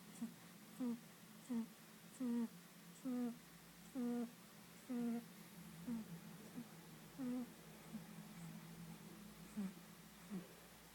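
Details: Tommy the cat snoring while asleep indoors: short, nasal, tonal whistling snores repeat roughly once a second, each a brief wheezy note, over a quiet room hum.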